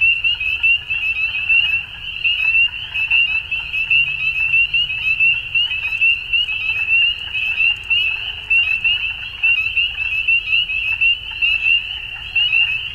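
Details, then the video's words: At dusk a crowd of frogs keeps up a steady high-pitched trilling chorus, pulsing in irregular surges, with occasional faint lower calls and a quiet rumbling background. "Frogs At Dusk"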